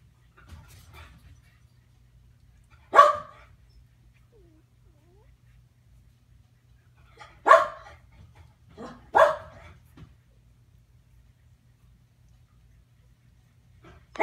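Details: Two sleepy newborn Keeshond puppies, Gotham and Gem, learning to play with a stuffed bunny; short bright yelps and squeaks come singly and in a close pair, with quiet stretches between in a small indoor room.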